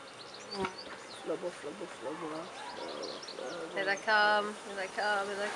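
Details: Honey bees from a new swarm being put into an empty hive, clustered all over the inside; short buzzy wingbeat hums drift in and out as bees fly past, mixed with people talking close by.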